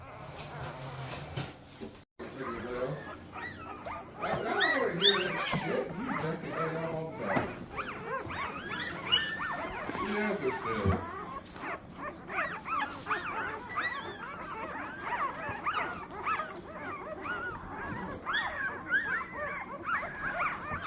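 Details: Newborn Golden Retriever puppies, a litter of twelve from mother Rosie, born 4/25/23: many overlapping high, thin squeaks and whimpers, rising and falling in quick bursts, nearly continuous, with soft human speech between.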